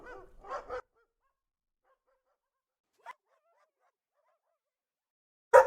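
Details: Dog giving a few short barks at the start, one soft bark midway and a sudden loud bark at the end, separated by silence.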